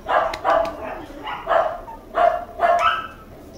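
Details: Red male Toy Poodle puppy called Mikuru, two months old, born December 5, kept indoors at a puppy house in Machiya, Arakawa, Tokyo; five high, bright yaps in quick uneven bursts over a low indoor hum.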